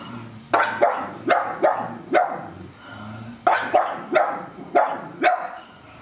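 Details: Wally the pug, facing a plastic horse, gives a steady series of about ten sharp barks, mostly in pairs, with low growling between them.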